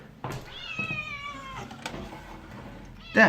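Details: Burmilla kitten, a domestic cat indoors, making hungry sounds while catching and eating a fly: one long drawn-out wavering meow-like tone holding steady then fading, with a few soft clicks and a sharp thump at the end.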